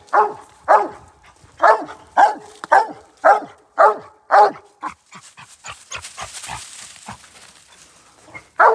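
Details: Hunting hound in Iowa treeing a raccoon at a big hole. Loud, hoarse barks repeat roughly twice a second for about five seconds, then softer scattered yelps and rustling, with one more loud bark at the end.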